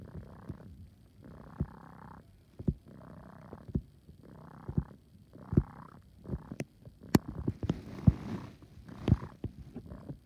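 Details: Coco, a male kitten, purring like an air pump: rhythmic breathy pulses roughly once a second, each a rough low rumble with a hissing edge, broken by a few sharp clicks and a brief rustle near the end.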